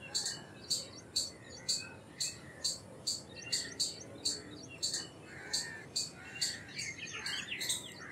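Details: Indian palm squirrel calling: sharp, high chipping notes repeated about twice a second in a steady series, against a faint background hiss.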